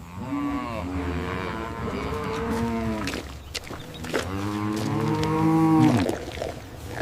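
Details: Domestic cow giving two long, drawn-out lowing moos, each about two to three seconds with a rich harmonic tone that bends slightly downward at the end, separated by a short pause.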